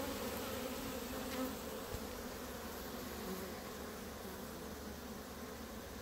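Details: Honey bees clustered on grass near their hives: a sustained humming drone, slightly louder at the start then easing, with a couple of sharp clicks.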